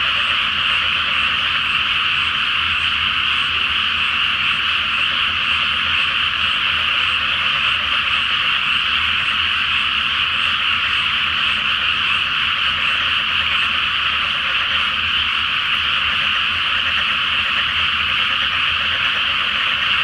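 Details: Night-time chorus of many frogs in a water-filled paddy awaiting rice planting, full moon overhead; continuous massed trilling and croaking, steady in loudness throughout, with no gaps between callers.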